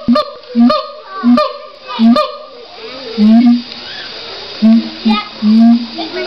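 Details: Siamang (Symphalangus syndactylus) at the LA Zoo gives loud, honking hoots in short bursts, some clipped and some drawn out.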